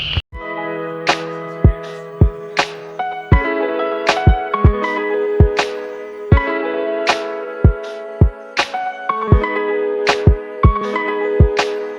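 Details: Plucked guitar music with steady strummed chords and sharp regular string attacks; no animal voices.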